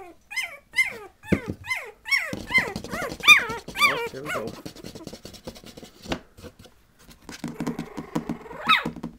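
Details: Patterdale Terrier puppies, 20 days old, giving high whining squeals. The cries are arched and rise then fall, about two each second, before a quieter stretch that ends with one faint squeak.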